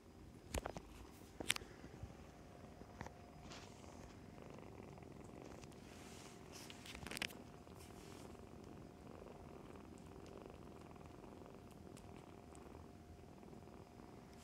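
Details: Foster kittens, born around early October, nursing and playing with their mother cat Mummy, fostered for the Humane Society of North Texas; a soft, steady low rumbling purr with sharp clicks and rustles near the start and around seven seconds.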